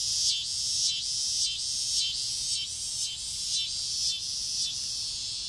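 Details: Noisy cicadas landed in front-yard trees on a summer evening shortly before dusk, producing an unbroken shrill buzz that throbs in gentle surges about twice a second, with no other clear sounds.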